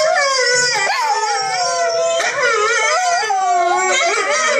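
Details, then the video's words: A female Yorkshire Terrier howls along to a YouTube video during shared computer time, in long, wavering, high-pitched tones that rise and dip without a break. "Guaranteed to make your Dog howl to."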